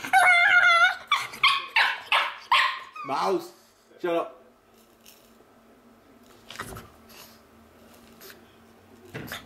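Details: Pet pug making monkey-like noises: a run of loud, high, wavering whines and yelps in quick succession over the first four seconds, then quieter with a few clicks and soft background hum.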